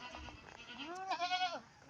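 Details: One of two pregnant pet goats kept under a house, close to giving birth: a single wavering, nasal bleat lasting about half a second, over a faint background hiss.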